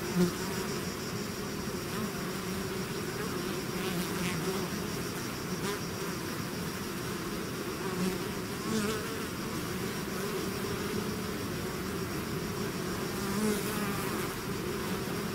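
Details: Honeybee swarm out of its hive: a dense, continuous buzzing hum of many wings, steady in loudness throughout, with wavering tones in the low and middle range and occasional louder passes of single bees near the microphone.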